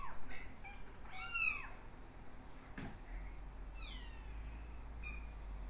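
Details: Exotic Shorthair x Ragdoll kittens born 15 August 2022 suckling from their mother; a few thin, high, arching mews, the loudest near the start and another near the end, with a brief rustle between them.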